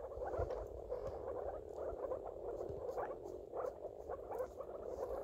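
Moor frogs call together in a dense chorus of low, hollow, bubbling notes, like air escaping underwater. The short pulses repeat rapidly and overlap, forming a continuous soft gurgle.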